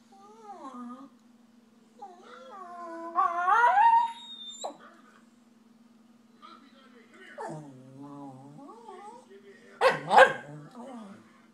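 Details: Shiba Inu dog talking to its foster dad indoors: a series of wavering, yodel-like whines and moans that rise and fall, with a sharp yip near the end; a steady low hum runs underneath.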